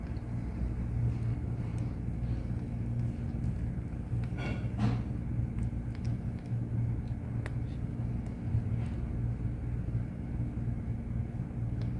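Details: Low vehicle rumble and a steady hum continue throughout, with a brief rustling burst midway.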